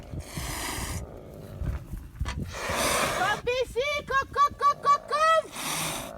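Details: Caracals Alex and Luna in a fight, Luna hissing more: three rough, airy hisses, with a rapid run of short, arched, voiced calls between them, against background talk.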